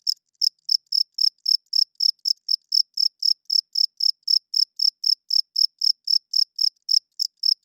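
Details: Loud night chirping of a cricket, a sharp high trill broken into short even pulses about four per second, continuing without pause against silence.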